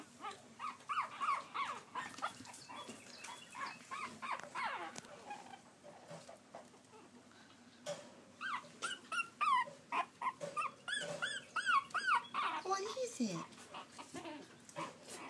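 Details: Pekingese puppies trying to climb a step give high, wavering whimpers and squeaky yelps in quick irregular bursts.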